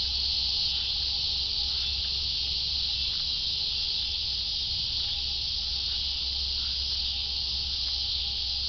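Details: A massed cicada buzz, bright and continuous, its intensity nearly constant, with a faint thin tone and a few soft ticks underneath.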